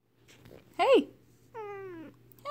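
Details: A Siamese cat talking with its owner gives a short rising-and-falling meow, followed by a longer, drawn-out falling cry.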